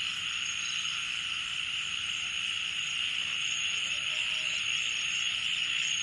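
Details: Deep-night chorus of crickets at Srimangal, Bangladesh, a dense continuous high buzzing trill with a faint thin tone riding above, steady and unchanging throughout.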